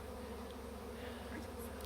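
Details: In Langford, BC, in June 2020, a honey bee swarm leaves a tree after two and a half days and moves into a bait hive, making a dense, steady hum: a low, droning buzz with layered tones.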